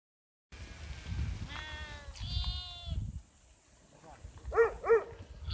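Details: Sheep bleating: two quavering, strongly harmonic bleats in the first half, then two short wavering bleats close together near the end, over low rumbling background noise.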